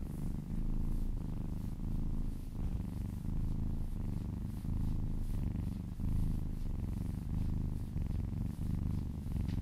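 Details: Domestic cat purring contentedly during a relaxing massage, a low continuous rumble that swells and eases with each breath, roughly every second and a half, over gentle rubbing sounds.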